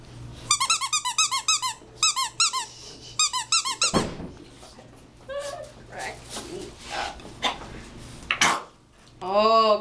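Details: English Bulldog puppies playing, tails wagging, give rapid, high squeaky yips in quick bursts, followed by a person talking.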